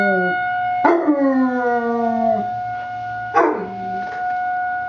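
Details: Basset Hound puppy howling along with a weekly emergency test siren: two drawn-out howls, each starting high and sliding down into a long, wavering low tone. The siren holds steady pitches underneath the whole time.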